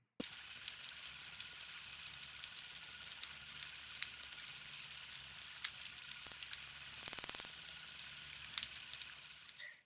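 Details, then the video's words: Indo-Pacific humpback dolphin whistles: high, sliding tones that dip and rise in quick U-shaped sweeps, one of the three sound types recorded from this species along with clicks and burst pulses. "let's listen to what a humpback dolphin whistle sounds like"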